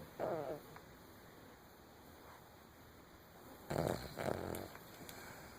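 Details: Snoring from a sleeping Cavalier King Charles Spaniel: a short raspy snore at the start, a long quiet stretch, then a pair of brief buzzy snorts near the end, with faint clicks.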